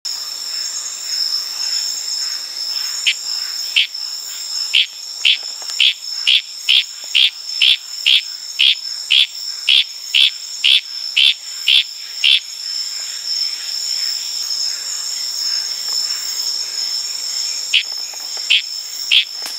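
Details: Tanimbar frogs, Litoria sp., calling in the wild at night in Indonesian tropical forest, give a long series of sharp clicking notes, about two per second, over a steady drone of crickets and other night insects.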